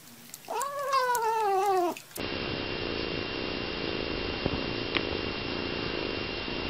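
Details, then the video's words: Playing kitten giving a single wavering meow lasting over a second, followed by steady hissing background noise with a faint tap. "Cute KITTENS meowing & playing"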